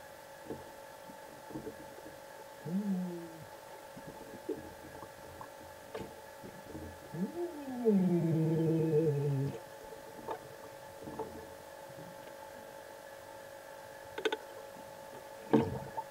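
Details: Minke whale (Balaenoptera acutorostrata) approaching and swimming close, shot June 16 2011; a short harmonic moan near three seconds, then a louder, layered descending groan of about two seconds, with scattered faint clicks over a steady hum.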